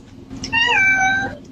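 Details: A kitten gives one drawn-out, tonal meow lasting about a second. It rises slightly, then settles and tapers off, over a faint low background hum.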